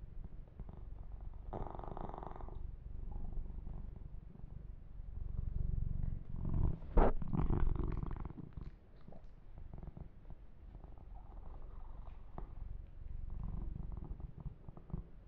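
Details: Kitten named Yumak purring during an ear-to-ear massage, with fur grooming sounds; a low continuous rumble throughout, interrupted by louder rubbing and handling noises in the middle.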